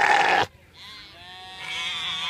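A sheep gives an odd, strained bleat after a brief loud burst of sound.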